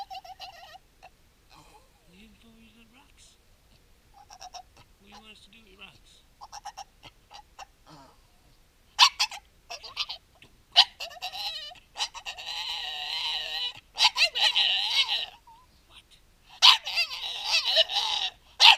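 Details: A Staffordshire Bull Terrier 'talks' in the morning in loud, wavering whines and grumbles, apparently about his rocks, answering a person's quiet voice.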